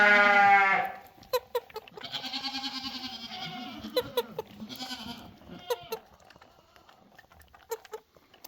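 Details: A happy goat kid on a bottle, wagging its tail, opens with one loud, rich bleat. Quieter wavering murmurs and sharp clicks follow.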